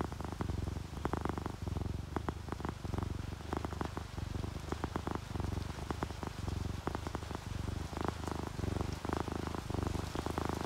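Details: Relaxed domestic cats, an orange tabby and a calico, asleep and purring: a soft rumbling drone rising and falling with each breath, with quick drips of rain falling throughout.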